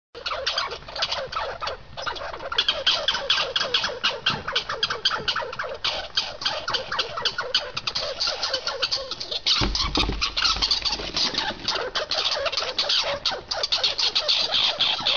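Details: Two squirrels fighting over seeds give a dense, harsh, rapid chatter of clicking and squeaky pulses that runs without a break for about fifteen seconds, with a brief low thump near the ten-second mark.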